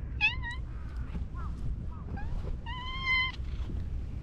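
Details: A friendly orange tabby cat that pops out from behind shrubbery meows twice clearly: a short rising-falling mew, then a longer, steady, harmonic-rich meow about two seconds later. Softer chirps come between, over low outdoor rumble.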